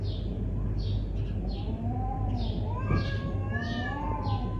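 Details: Neighbourhood cat spoiling for a fight: drawn-out, wavering yowls with arched and rising tones over a steady low hum, a few shorter higher notes near the end.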